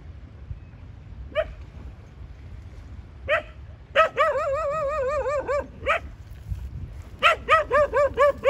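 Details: Domestic dog gives a few sharp isolated yelps, then a sustained wavering, warbling howl-whine of about a second and a half, ending in a quick run of six rhythmic yips; steady low rumble underneath.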